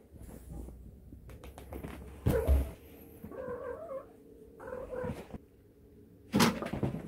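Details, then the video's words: Cat making mrrp trills, called a pre-attack signal: two warbling chirps in mid pitch a second apart, set between loud thumps, bumps and scuffling noises. "Mrrp logic : Pre-attack signal"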